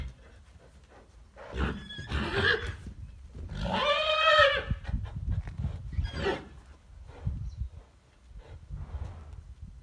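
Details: Chestnut horses and dapple-grey fillies: a loud harmonic whinny near four seconds, wavering and falling over about a second, with a fainter neigh before it, hoof clip-clops and a man's voice around.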